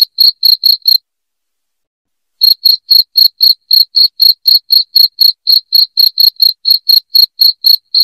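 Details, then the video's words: Loud cricket chirping, meant to drive rats out of a house: sharp high pulses about four per second, a brief run, then a pause of over a second before the steady chirps resume. "SUARA JANGKRIK NYARING"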